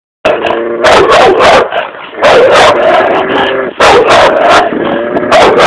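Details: Red nose American Staffordshire Terrier barking aggressively: very loud, harsh barks in tight bursts of two to four, separated by short pauses, with a raspy, strained tone.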